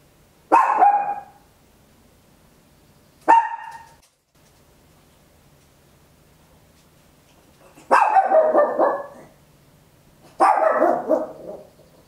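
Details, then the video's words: {'caption': 'Small Papillon dog barking very loudly indoors, captured at home with an Olympus LS-11: four sharp barks at uneven gaps, the later two longer and fuller, against a low steady hum.'} "Tiny Dog Barking Very Loud, Papillon"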